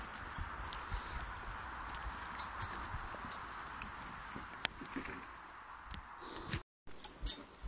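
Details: Tempête, a draft mare at logging work in Brittany, working alone and driven by voice, makes soft irregular hoof thuds and clicks among crackling, rustling ground cover. A short silent break comes near the end.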